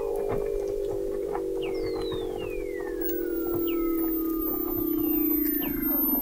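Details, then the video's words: Weddell seals recorded in November 2017 beneath sea ice in McMurdo Sound, Antarctica, by the McMurdo Oceanographic Observatory 21 m down; long descending whistles glide over a steady low droning band, with short downward chirps layered on top. "Song of the Antarctic Weddell Seal"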